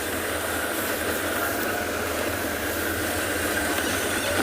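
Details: A vehicle engine idles under a steady broadband hiss, with faint voices in the background. No animal sound is heard.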